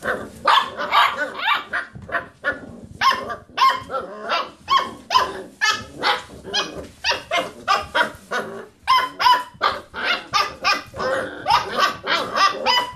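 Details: Playing Basset Hound puppies circling a computer chair roo in a long, steady series of short, clear yelping barks, evenly spaced and layered from more than one pup, with a brief pause near the middle.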